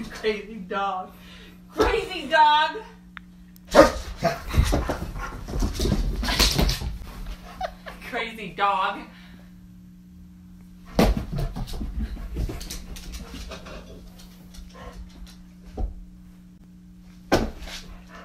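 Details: Basset Hound at play time, giving wavering, whining howls and sharp broadband barks in irregular bursts, with human voices talking between the calls.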